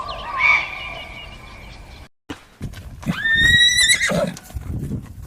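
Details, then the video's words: A horse in nature gives a high, shrill whinny. It rises sharply into a long quavering tone, then breaks and drops away. A fainter whistled tone comes before a brief cut, and dull thuds like hoofbeats sound underneath. "Realistic Horse Sounds in Nature"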